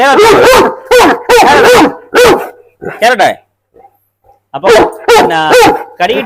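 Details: Very large kennel dog, called the world's biggest, barks in bursts. Several deep barks come in pairs, then a pause with faint sounds, then another loud run of barks, with human voices mixed in.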